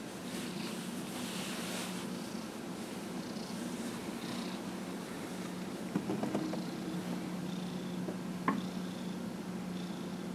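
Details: Dillard, a 15-and-a-half-year-old pet cat, purring while being massaged on January 31, 2018; a steady low rumbling purr runs throughout, with a few soft clicks and a sharp tap near the end.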